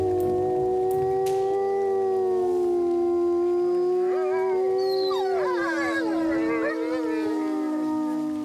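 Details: Captive wolves met up close at Polar Park in Bardu, Norway. One long, steady, level howl holds throughout. After about four seconds other wolves join with higher, wavering, overlapping howls, forming a chorus.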